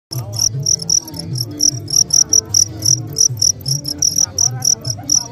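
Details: Crickets chirping in a steady pulsing chorus, high bright chirps repeating several times a second over a soft low rumble in the background.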